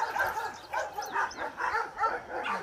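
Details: A one-year-old female Giant Schnauzer during hand signal exercises gives short, punchy barks in a steady run of about two per second, with no voices in between.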